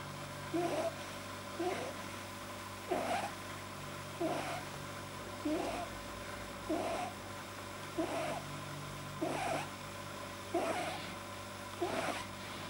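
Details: Relaxed male house rabbit with a soft palate the vet judged too long, January 2010: rhythmic snuffling snorts, each a short nasal burst, repeating steadily roughly every one and a half seconds, about nine in a row, over a low constant hum.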